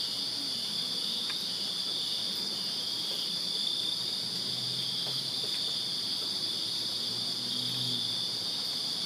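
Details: Backyard crickets in Virginia on a summer night keep up an even, ringing high trill, a constant shimmering wall of sound, while a few brief low hums and faint knocks drift in underneath.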